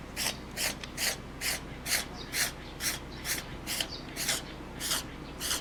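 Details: A cat in a sudden bout of violent, repeated sneezing that sprays nasal discharge. Twelve quick, harsh, breathy bursts follow one another at a steady pace of about two per second, with little else heard between them.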